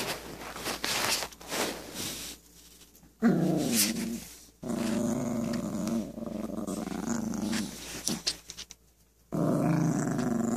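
A Yorkshire terrier puppy growls in low, rumbling bursts broken by short pauses.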